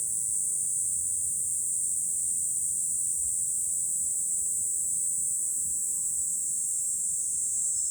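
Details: July cicada chorus heard from a high lookout above Fukuoka city, Japan, a continuous piercing high-pitched buzz with no breaks, over soft low ambient noise.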